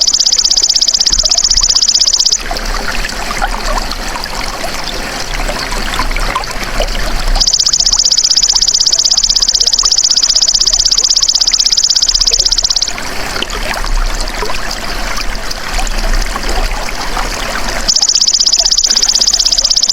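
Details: Golden grasshopper recorded as a tutor sound for songbirds: bursts of rapid, evenly pulsed, high buzzing trill lasting a few seconds, alternating with stretches of broad rushing, trickling noise like flowing water.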